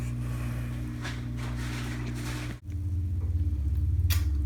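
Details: Steady low hum, like a fan or motor, fills a small indoor room, with a brief dropout midway and a few soft knocks and rustles; no animal voice is heard.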